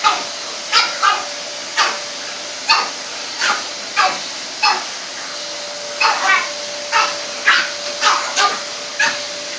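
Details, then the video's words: Barking of a Pug and a French Bulldog reacting to a household vacuum cleaner; a long run of quick, sharp barks, clustering into faster doubled bursts toward the end, with the machine humming steadily beneath. "Pug and French Bull Dog go mad at our hoover haha x"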